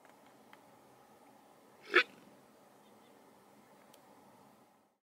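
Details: Black wildebeest on safari giving an alarm call at people while walking away: a single short, explosive snort against quiet background.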